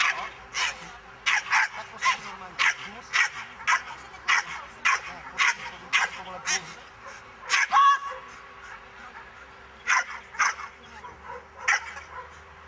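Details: Miniature English bull terrier in a defence training class, barking steadily in a rapid, even series of sharp barks, pausing briefly midway then resuming with fewer, spaced barks.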